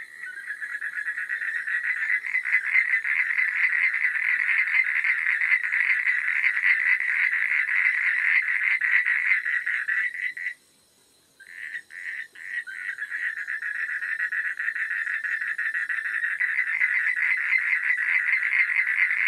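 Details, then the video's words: Frogs croaking at night in a continuous rattling chorus of quick pulses, cutting to near silence for about a second midway, then resuming with scattered calls that swell back to full volume. "Suara Katak di Malam Hari"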